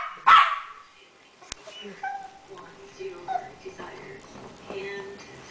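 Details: Two pet dogs, a Weimaraner and a Chihuahua, in their daily evening howling on the second day: one loud bark and a sharp click, then sustained wavering howled notes that overlap, rising and falling in long drawn tones.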